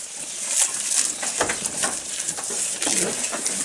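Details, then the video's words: Goat eating, recorded close up: dense crunchy, crackling chewing bites repeated irregularly, bright and clicky with no vocal calls. "Goat Eating Sound"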